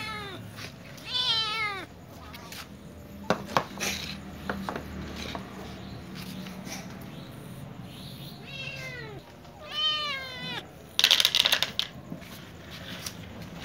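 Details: Ginger cat and young white cat with other cats, asking for food; several bright, arching meows in pairs, near the start, around nine and ten seconds, plus clattering clicks and a burst of rattling near the end.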